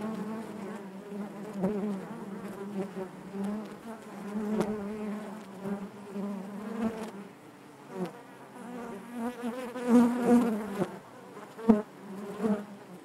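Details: Honey bees buzzing inside their hive, a dense continuous drone centred low with stacked harmonic bands, swelling and fading as individual bees pass close, with brief louder surges near the tenth second.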